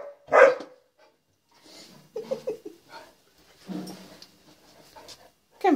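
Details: Penny, a young female dog barking at herself in a closet mirror: one loud, sharp bark opening the clip, then soft voices and small sounds, and a second bark at the close.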